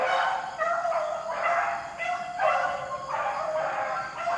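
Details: Beagles hunting rabbits in the rain keep up a steady, close chorus of bawling bays, overlapping voices with rich harmonics pulsing roughly twice a second without a break.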